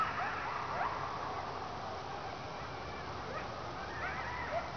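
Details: Distant coyote pack, unseen in the dark of a quiet remote area at night, yips and howls in thin, rising and falling wavers over a steady hiss while a dog being walked gets excited.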